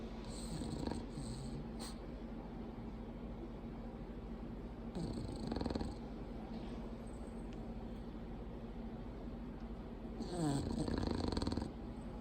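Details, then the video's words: Bulldog Mildred, mate of Clyde, snoring in repeated breaths: rough snores about every four to five seconds, the last one longest and most rattling, over steady low background hum. "LOUDEST Snoring Bulldog Part2"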